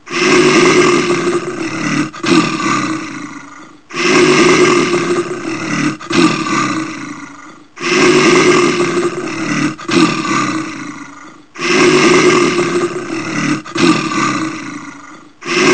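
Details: A brown bear (Ursus arctos) gives deep, rasping roars, each lasting about two seconds and repeated with brief pauses.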